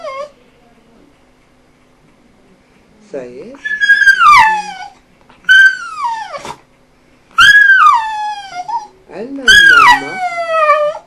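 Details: An eight-year-old pet dog, said to be saying "hello" and "hello mama", in a small room: a series of four short, harmonic, whining yowls that rise then fall, repeated every couple of seconds after a brief quiet start.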